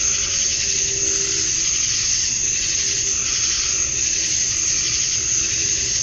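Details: Summer dusk chorus of male cicadas in Georgia, USA, calling to draw females: continuous shrill buzzing band at the top of the range, gently swelling and fading, with faint low tonal hums underneath.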